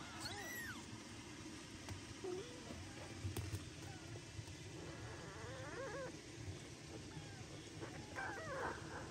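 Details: Kittens born to a mother cat that never licks them give loud, thin, high meows that rise and fall, calling repeatedly and protesting that she ignores them, wanting to be licked and hugged.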